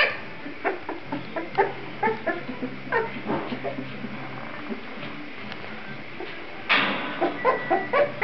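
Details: Kuvasz puppies in their whelping box, May 2009, giving a steady stream of short chirping squeaks and yelps, about two per second, with a louder cluster of high whines near the end.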